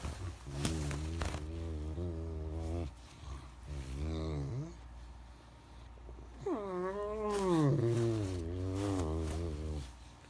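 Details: Great Dane named Max grumbling about getting out of bed: several long low moans, some steady and some sliding, then a higher rising-and-falling whine-groan like a drawn-out vocal complaint, in a quiet room.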